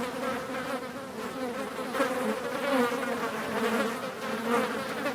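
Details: Several flies droning in flight, a low continuous hum with a brighter overtone, pulsing irregularly in loudness as individual insects come and go.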